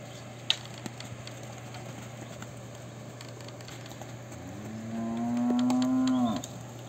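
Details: Pregnant Girolando heifers (3/4, 5/8 and 7/8 blood), about seven months in calf to a Girolando bull, Fervedouro region, Minas Gerais, Brazil: after a quiet stretch with a sharp click, one cow gives a rising, then steady moo of about two seconds over a low hum.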